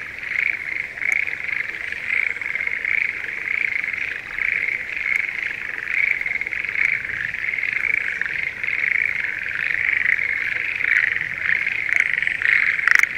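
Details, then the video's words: Schlegel's green tree frogs in breeding season, calling in a spring rice paddy near Sendai, Japan: a dense, unbroken chorus of high croaking trills that blend into a steady shimmering drone for the whole stretch. "シュレーゲルアオガエルの鳴き声Voice of schlegel's green tree frog"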